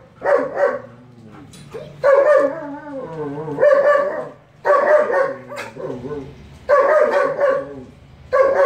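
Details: A young male German Shepherd gives loud, full-throated barks in bursts every one to two seconds.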